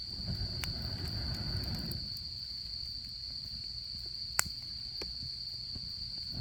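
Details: Steady shrill trill of autumn insects next to a campfire during camping season, low rumbling fire noise fading after the first two seconds, then scattered light crackles and one louder pop.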